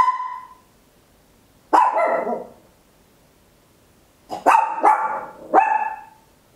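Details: ['Papillon, a tiny dog, barking very loud at home, recorded in stereo on an Olympus LS-11: a fading bark at the start, then a sharp bark near two seconds and three quick barks in a cluster after a gap, with quiet between.']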